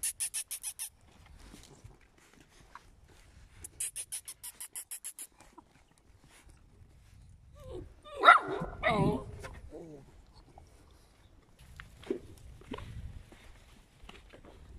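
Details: Eight-week-old puppies of Scarlett and Noeud Pap: a few short, harsh barks and yips cluster mid-recording, preceded by two bursts of rapid high ticking and followed by scattered soft noises and faint voices.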